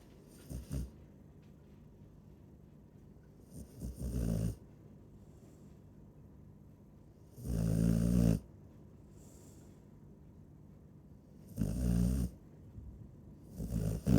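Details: Sleeping Chow Chow snores in rough, low rumbling breaths, short bursts early then a long loud snore near eight seconds and another near twelve, with quiet stretches between, indoors.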